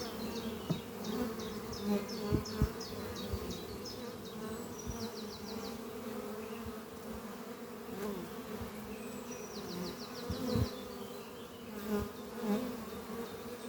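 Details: Continuous hum of honey bees in flight around the Doppio hive, kept in an old French oak chest under trees, on a spring morning. Small taps and bumps punctuate the drone, while a bird gives quick repeated trilled phrases in the background.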